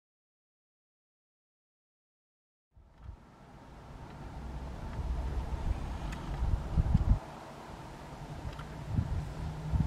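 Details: Nearly three seconds of silence give way to low rumbling wind and traffic-like noise, with no animal calls standing out.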